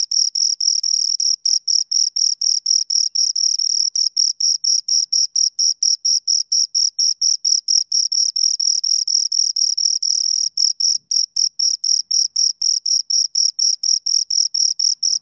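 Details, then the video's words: Pair of crickets stridulating near the microphone: a continuous run of sharp, high chirp pulses at a brisk even tempo, with a tiny gap near the eleventh second. "Two Crickets Chirp Sounds for Two Hours Right on Your Ears"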